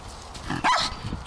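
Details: Jack Russell Terrier giving a single short, high yip with a quick rise and fall in pitch, preceded by soft snuffling noises.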